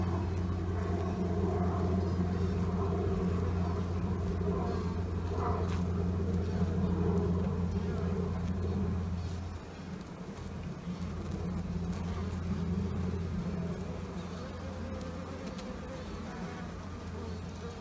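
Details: A European hornet tries to push through a hive's barrier toward the brood chamber of Carnica honeybees, which then attack the intruder; its deep, steady wing buzz drones on, dropping briefly before resuming.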